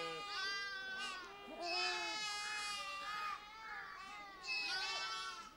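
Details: Changthangi (Pashmina) goats in a mixed herd with sheep in the Himalaya, Ladakhi Changthang; many overlapping wavering, nasal bleats of varied pitch, several rising and falling, calling almost continuously from near and far.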